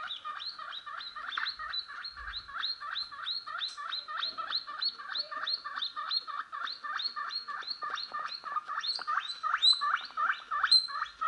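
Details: Guinea pig noises played to a pet guinea pig named Henry as it reacts. A long, rapid, unbroken series of short squeaky notes, each dipping and rising, about three per second and steady throughout.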